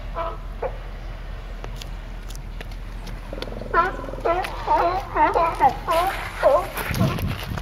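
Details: A raft of California sea lions, apparently all males, bark together in a loud chorus of honking, overlapping calls.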